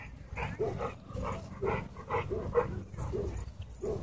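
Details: Wolfdog at a dog park, said to be threatening a man: a string of short, moaning, harmonic vocal pulses, roughly two or three per second, rising and falling, with low background rumble.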